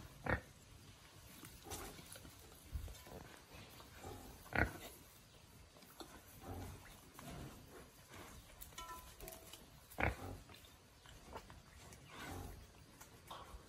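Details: A young wild boar, released into the wild and learning to forage, gives short, rough grunts and snorts at uneven intervals.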